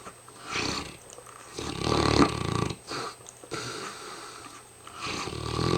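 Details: Tired mastiff Hamish snoring: several rough, uneven snorts and breaths rising and falling over a few seconds, with a faint electrical hum in the background.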